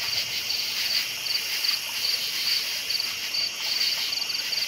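Crickets chirp at night, high thin pulses repeating several times a second over a steady insect hum.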